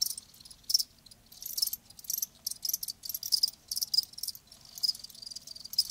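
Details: Crickets heard live, sounding in rapid high-pitched chirping bursts that come in clusters with brief pauses between them, over a soft low hum.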